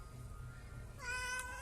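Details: Domestic cat letting out a short meow that rises and holds in the last half second, after a stretch of low background hum and a faint steady tone.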